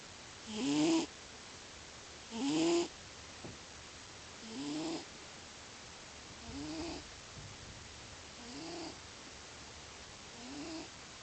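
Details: Male house cat that always snores in its sleep, snoring loudly: six rasping, rumbling breaths about every two seconds, the first two loudest, later ones softer, in a quiet room.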